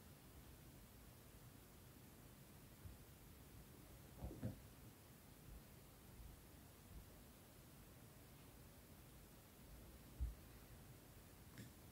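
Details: Steady low hiss with a few soft rustles and light knocks in a quiet room, with no animal voice heard.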